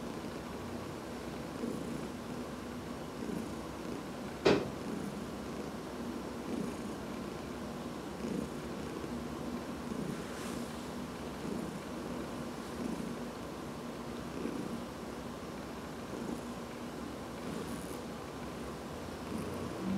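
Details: Adopted house cats Dinah, aged 15, and Heidi, aged 14, being massaged on August 13, 2019; a steady, low rumbling purr with soft rhythmic pulses runs throughout, broken once by a single sharp click, in a quiet indoor room.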